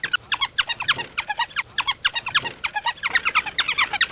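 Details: African wild dog, also called painted dog: high, squeaky, bird-like twittering chirps in rapid overlapping bursts, several notes per second without pause, sounding like more than one voice chattering at once; no other clear sounds.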